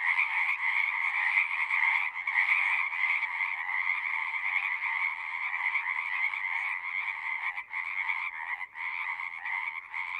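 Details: Pond frogs in a horse pasture singing, Zoom recording: a loud continuous trilling chorus for the first few seconds, then the sound thins and breaks into choppy pulses with short dips as callers drop out.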